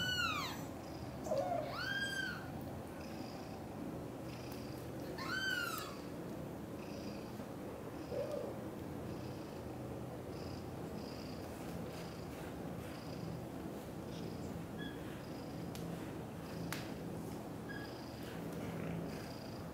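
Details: Cream, a British shorthair kitten, is cared for by two British shorthair mother cats, Chan and Xaxa. A steady low rumbling purr runs throughout, broken early on by several high, arching kitten meows, three of them in the first six seconds.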